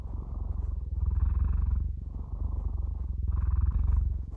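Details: Cats purring in a relaxing ASMR recording: a steady, deep rumbling purr that swells and softens in alternating breath phases roughly once a second, each exhale slightly brighter, with no other sounds.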